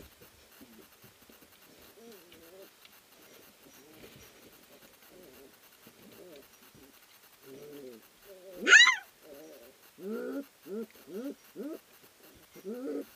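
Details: Three-week-old puppies wrestling in the whelping house at Endurance Kennels, bred from Ari and Grace; soft muttering whines build to one piercing rising yelp, followed by a string of short arched whimpers about every half second.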